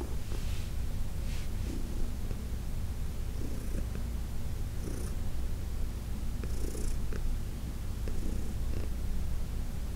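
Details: Massaged by hand, 14-year-old Heidi, a senior cat adopted from the Humane Society of New York City, keeps up a steady throaty purr, overlaid by light intermittent rustling of fur.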